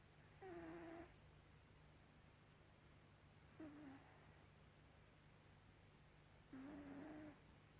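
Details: Gribouille, a domestic cat, snoring: three rasping breaths about three seconds apart, each a breathy burst with a faint tonal wheeze, over a steady low hum.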